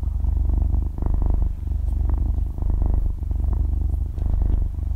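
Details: Dozing six-month-old kitten purring steadily, recorded in close stereo with zero talking; deep rumble pulsing in breathing cycles about every one and a half seconds.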